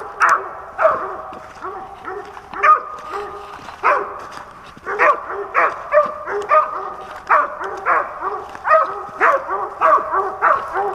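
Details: Hunting dog barking during a squirrel hunt in Pennsylvania, 2021; a steady run of sharp barks, some drawn into short howling bays, repeating roughly every half second to second with little else heard.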